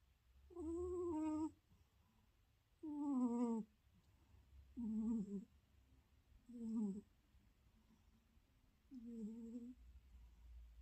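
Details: Domestic cat asleep beside its owner, snoring: five nasal, tonal, falling moans, each about a second long and repeated roughly every two seconds, over a faint low hum.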